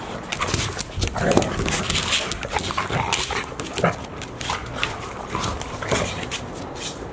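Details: Golden Retrievers Asahi, a one-year-old male, and his sister Chiwa play-fight at Ain Village, 4 May 2019, with brother Roa looking on. Dense, irregular panting, snuffles and brief whimpers with scrabbling paws, and human voices faint underneath.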